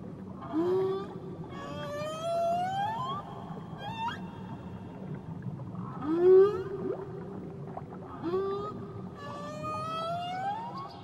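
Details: Whale song recorded around Tahiti: rising, tonal upswept moans with layered harmonics, some long and sliding, others short whoops, returning in bursts every two to four seconds over a low steady underwater rumble.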